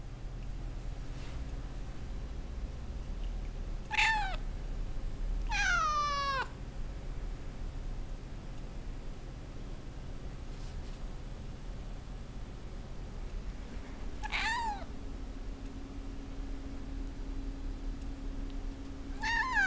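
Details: Hungry Russian Blue cat named Tobes, recently desexed, meowing for his dinner indoors: a few drawn-out harmonic meows, one rising then falling, spaced several seconds apart over a steady low household hum.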